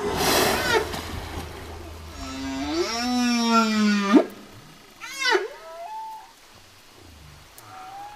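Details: Humpback whale song with a noisy opening burst, then a long harmonic moan rising in pitch and ending abruptly, followed by a short upswept cry and a faint high tone.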